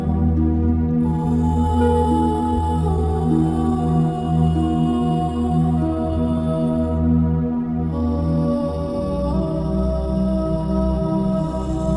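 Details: Slow new-age ambient music with deep droning bass and layered sustained tones, from a humpback whale documentary score; no animal voice is present.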